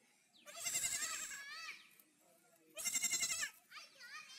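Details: Baby goat giving two loud, wavering, strained bleats, each about a second long with a harsh, screaming quality and a quaver through it, separated by a short pause; a softer call trails at the end.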